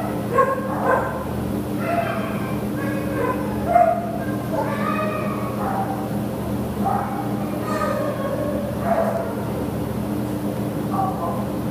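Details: Lhasa Apso dog available for adoption from a shelter, recorded 15 September 2015, letting out a run of high, whiny yips and short barks, some with a rising or falling tone, over a steady background hum.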